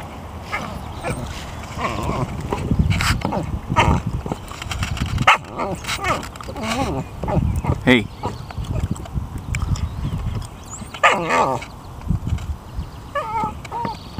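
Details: A vocal American Eskimo Dog plays with a rubber basketball picked up in a school yard. It makes short quavering, yodel-like whines and grumbles between rough bumping and rustling, with low rumbling noise underneath.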